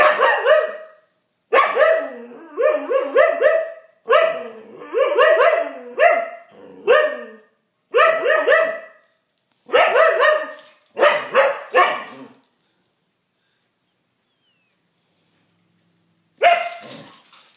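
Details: Playful Siberian Husky vocalizing at a cat: a quick run of short, harmonic, yelping barks in clustered groups for about twelve seconds, then a quiet pause before one last bark near the end.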